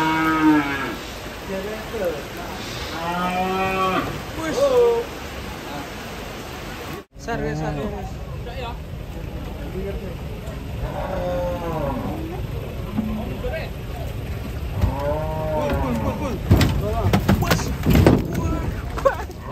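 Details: Repeated moos from cattle unloaded off a truck, several rising-and-falling calls before a brief cut, then more moos layered with clattering and shuffling noise.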